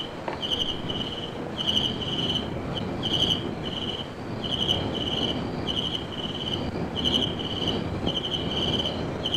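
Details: Crickets at a South African homestead in Zulu country, recorded around 1956 alongside partridge, drongo and bulbul, chirp in steady, high, trilling pulsed bursts about every second over a broad low background rumble.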